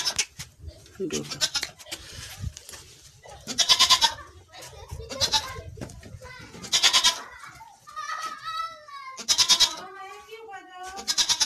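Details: Barbari goats on a goat farm in Assam, giving loud, harsh, broad bleats in bursts every one to three seconds, some wavering, with human voices talking between the calls.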